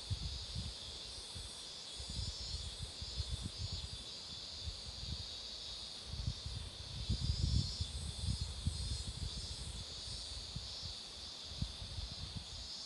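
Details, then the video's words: Beside a road where marigolds bloom, cicadas keep up a long shrill buzzing chorus that rises and falls in slow waves, beneath recurring low wind gusts and occasional thumps. "매미소리도 들어 보세요"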